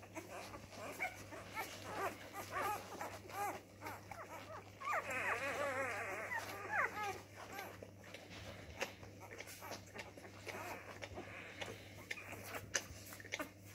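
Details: Labrador retriever puppy discovering its voice: scattered thin yelps, then a dense run of rapid, wavering high whimpers for about two seconds midway, fading into soft intermittent squeaks with background rustling.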